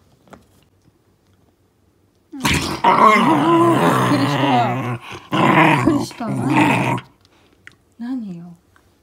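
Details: Shiba Inu named Momisan, a 2-year-7-month-old female, growling indoors while playing a make-believe beast game with a deer antler. Rough, noisy growls come in three bursts, long then shorter, followed by a brief rising-falling whine.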